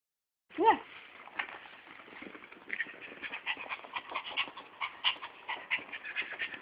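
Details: Male Chihuahua–Miniature Pinscher mix kept as a pet, restless and craving attention; a short high whine opens, then rapid breathy noisy pulses follow in quickening, uneven bursts.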